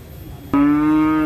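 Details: A raging female cow gives a single loud, steady moo. It starts abruptly after a quiet half-second and holds one flat, rich, even tone for nearly a second.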